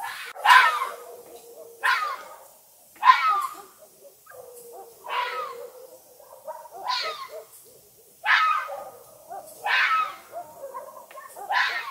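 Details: A red fox (Vulpes vulpes) at night gives harsh, hoarse screams, repeated roughly every two seconds.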